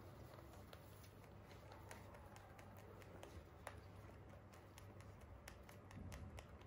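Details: Pet Holland Lop rabbits chewing crunchy hay, rapid brittle snapping clicks coming steadily over a quiet background hum.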